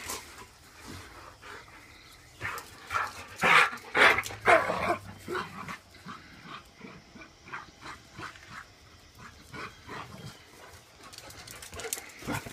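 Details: Rottweiler wrestling with a puppy, giving rough, rumbling growls with a few sharp bark-like bursts, loudest in the middle.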